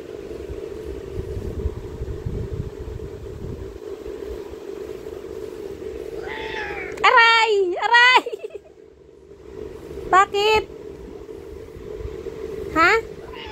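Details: Kurna, a black cat, throwing a tantrum: several drawn-out, wavering meows come in the second half, one pair close together and then two more spaced apart, over a steady low hum and some background traffic noise.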